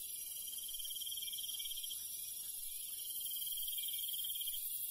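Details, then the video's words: Countryside crickets chirping at night, a continuous high insect hiss beneath two pulsed trill phrases, each lasting about two seconds with a short break between them. "시골 밤벌레 소리, 귀뚜라미 소리"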